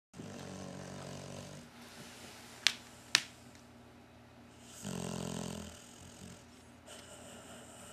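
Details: A Cocker Spaniel–Shar Pei mix designer dog (Canis familiaris) snores in long, rough, rattling breaths with quiet pauses between.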